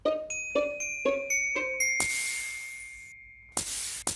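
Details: A rising run of chime-like bell notes gives way to a long whooshing swish and two closing bursts, with no animal sound.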